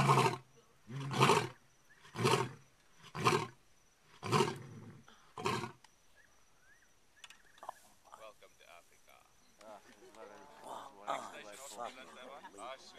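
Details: One of two lions calling out at night gives a series of deep, heavy grunting roars about a second apart, followed by human voices; such roars can carry to other lions up to 10 miles.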